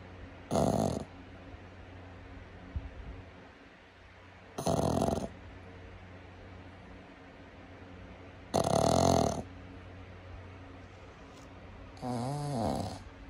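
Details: Pug sleeping and snoring: four loud, rasping, breathy snores about every four seconds, the last one more tonal and wheezy, in a quiet room.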